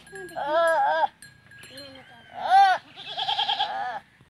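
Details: Teddy goats during a first mating in a Punjab, Pakistan village. A long tremulous bleat is followed by a short one, then a loud shaky bleat running into a rougher quavering cry, over a faint ringing bell tone.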